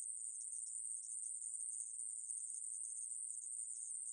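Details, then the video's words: Continuous shrill buzz of a conehead katydid (애매부리), recorded in 2020 by the National Institute of Biological Resources, a single high, even tone sustained without pause for the whole stretch. "애매부리, 여러번 듣기, 곤충소리"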